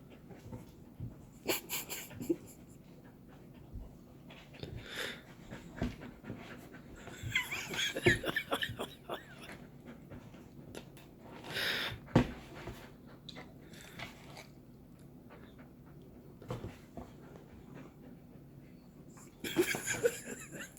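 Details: Golden retriever at play with a cat: rapid, uneven runs of breathy panting and snuffling, rising into louder bouts with scrabbling and bumps, then quieter spells.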